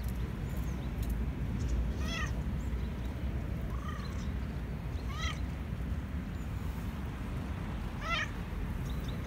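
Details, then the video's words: Black and white male cat meowing because he wants food: four short harmonic meows, each rising then falling, at about two, four, five and eight seconds, over a steady low rumbling background noise. "Black and white cat meowing"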